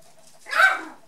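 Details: Poodles at play: 4½-week-old white dwarf and toy poodle puppies Mary and Moses with brown dwarf poodle Sasha. A single short, loud yelp swells and fades over half a second against a quiet indoor background.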